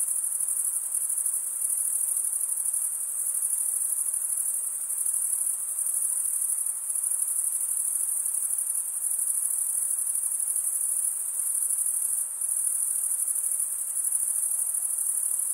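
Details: A long, even stretch of cricket chirping: males rubbing one wing across the toothed vein of the other. The result is a piercing, finely pulsed high trill that barely changes in loudness, apart from a brief dip. Only faint hiss lies underneath.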